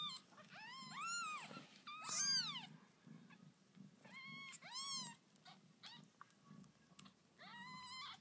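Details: Newborn kittens of the cat Lucy, born under a bed, cry in a series of high, thin, arching mews, each rising then falling, about five bursts spread over several seconds with short pauses, over a low indoor hum.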